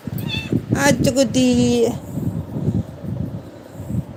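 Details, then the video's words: Pet kitten giving a short run of meows, a couple of brief cries then a longer drawn-out meow lasting about a second, with a person talking nearby and low background rumble. "meaw sound cute kitten"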